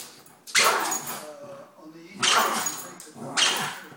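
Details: Female Jack Russell Terrier barking at a cat outside with a squeaky toy still in her mouth; three muffled, harsh barks spaced roughly one to two seconds apart, with a person's voice nearby.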